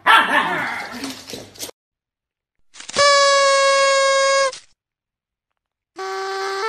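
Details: Siberian Husky from a compilation of husky puppies and dogs: a brief rough, noisy vocal burst, then two long, steady, level howl-like tones rich in overtones, separated by silence.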